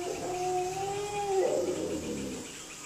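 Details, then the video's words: Wild Asian elephant at a reservoir in Phu Khiao Wildlife Sanctuary, Thailand, 3 March 2019 around 17:47, as two herds met, likely competing for space, gives a drawn-out, high squeal breaking into a rougher, brassy blare. "ช้างป่า 2 โขลงมาเจอกัน คาดว่าน่าจะแย่งพื้นที่กันเอง ของช้างป่า"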